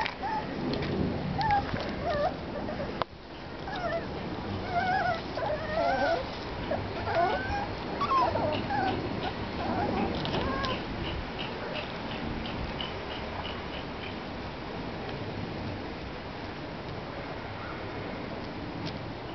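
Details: Parson Russell Terrier puppies, five and a half weeks old, whimper and squeal in short, wavering high notes. The cries overlap irregularly over a steady, hissing background rumble, with a brief break near the start.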